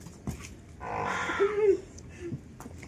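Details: Domestic water buffalo on an Indian family farm, where a newborn calf has arrived; one drawn-out, hoarse bawl with a tonal middle over about a second, with nearby people talking Marathi before and after.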